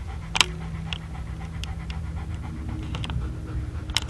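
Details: German Shepherd dog doing his favourite thing in the whole world, panting in quick, steady, rhythmic breaths, with a few sharp clicks and a faint steady low hum behind.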